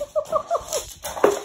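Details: Boston Terrier that does not want to be petted, giving a quick run of short, whiny rising-and-falling notes, four in under a second, ending in a louder, rougher grumble.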